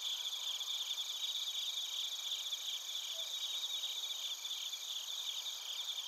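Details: Bell crickets and other crickets in Narita, Chiba Prefecture, Japan, recorded on a TASCAM Portacapture X8: a dense, steady high chorus of overlapping shrill trills with faint pulsing and no other sounds.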